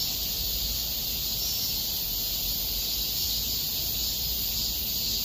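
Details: Cicadas in a small park in Korea in August 2021 fill the air with a steady, high, shimmering drone that never breaks.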